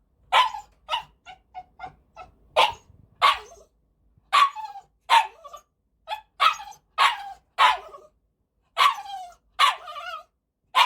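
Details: Family-pet Cavalier King Charles Spaniel, a male born 13 May 2019, barks in uneven bursts: quick clusters of short yips mixed with louder, longer barks, some ending in a whining tail, then a pause before more.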